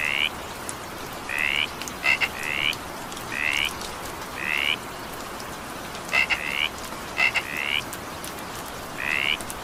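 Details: During evening rain, a frog repeats bright rising croaks, sometimes a quick click-note pair then a longer upward buzz, spaced a second or two apart over continuous rain noise.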